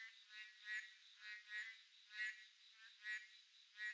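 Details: Boreal digging frogs croak through a midsummer night, with harsh, harmonic calls spaced irregularly, roughly one every second, some louder and nearer than others, above a steady high-pitched background drone.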